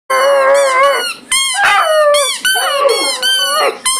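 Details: Several Irish wolfhounds howling together: loud, overlapping wavering howls, some sliding up then down, rich in harmonics, with brief breaks between voices and no other sounds heard.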